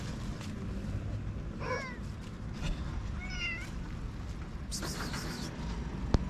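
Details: Stray cats in Morocco, hungry beside an empty litter box, give two short faint falling meows about a second apart, with low street rumble and a brief hiss of noise.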